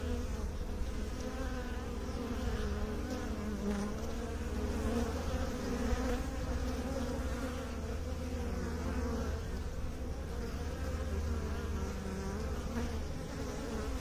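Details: Continuous deep bee drone, many overlapping wingbeat hums merging into a dense, slightly wavering buzz that holds steady for fourteen seconds.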